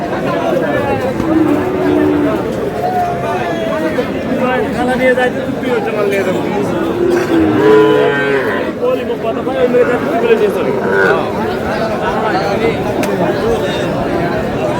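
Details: Sahiwal bull calves at a cattle market in Thakurgaon, Bangladesh, on 14 March: several drawn-out, low moos rise and fall over constant crowd chatter and bargaining voices.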